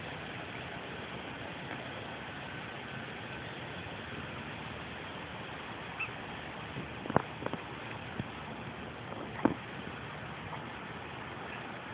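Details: Steady, even background hiss outdoors with a couple of brief sharp clicks and knocks, and no clear animal voice.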